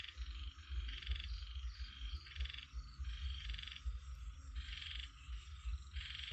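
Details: Frogs croaking in a short stretch of rapid, buzzy pulse-bursts, each lasting about half a second with brief gaps between, some faint clicks in between, all over a steady low droning hum.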